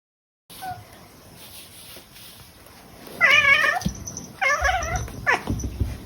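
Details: Pet cat Kotetsu meowing indoors: after a few seconds of low murmur, three short wavering meows, the first two drawn out and slightly quavering, the last a quick clipped mew.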